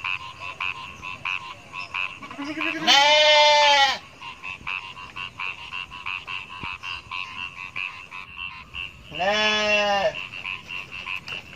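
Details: Goats from a herd of hundreds walking through rice fields, two loud wavering bleats about six seconds apart, over a steady rhythmic chirping chorus in the background.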